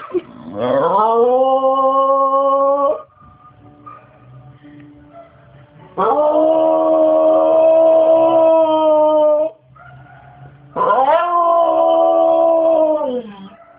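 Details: Cue, a pet bulldog indoors, crying for monkeys: three long, drawn-out howls of about three seconds each, rising at the start and then holding a steady pitch, with short quiet gaps between them.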